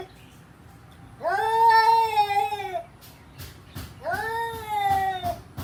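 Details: Kitten making two drawn-out, clear harmonic meows, each rising quickly then holding and sliding slightly lower, over a low background hum, with sharp clicking or tapping sounds between and after the calls.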